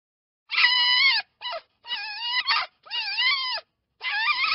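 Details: Fox giving a series of high, wavering whining calls with rich overtones, each lasting roughly half a second to a second and separated by short silences; nothing else heard.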